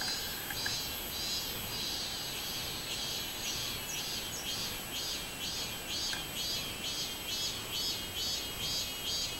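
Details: Robust cicada (minmin-zemi) on 24 July 2016 delivering a strongly rhythmic, shrill pulsing song, each buzzy beat repeating about twice a second in a steady even train over background hiss.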